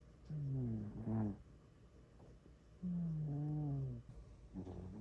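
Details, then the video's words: Sleeping pet cat snoring loudly indoors: a long, low droning inhale with a nasal tone, then a shorter rasping exhale, two full breath cycles. "My cat snores really loud"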